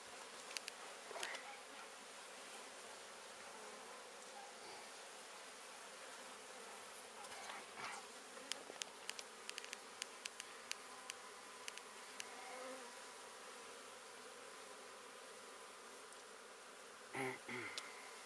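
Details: Honey bees from a hive under a home in Santa Rosa, Texas, being removed alive: a steady low droning hum with scattered sharp knocks and clicks of the work.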